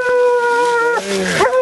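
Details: Raccoon hunting with a female Bluetick Coonhound: a long, steady, ringing bawl held for about a second, then a shorter, wavering second cry, with a voice nearby.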